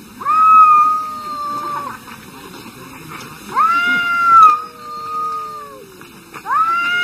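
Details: Domestic cats arguing: three long sustained yowls, each rising sharply at onset then holding a steady wavering tone for a second or more, overlapping a lower second voice, loud and drawn out.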